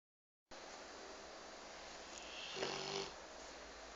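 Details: A pet Rottweiler taking a nap gives a single rough, throaty snore over a steady hiss of background noise.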